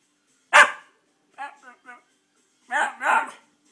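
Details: Male Miniature Schnauzer 'talking' while looking for his 'ma ma': a sharp bark-like yelp, then short wavering whine-like mutters and two longer drawn-out harmonic moans, with a person speaking nearby.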